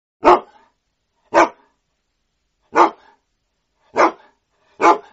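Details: Sprocker spaniel giving five single, sharp, loud barks, each short and separated by roughly one to one and a half seconds of silence, in a quiet setting.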